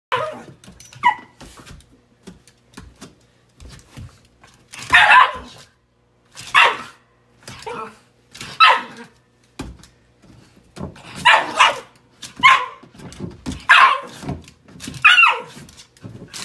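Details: A Shiba Inu gives sharp, repeated barks and yelps in irregular bursts indoors, objecting when its owner uses a step stool without wearing shoes.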